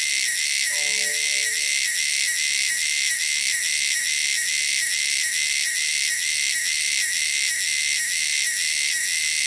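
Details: A shrill cicada chorus from the wilderness pulses steadily at a little over two beats per second, with a faint brief lower tonal sound near the start.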